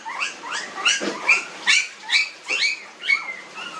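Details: Nineteen-day-old puppies letting out rapid high squeals, roughly two short rising cries per second, some ending in a drawn-out whine.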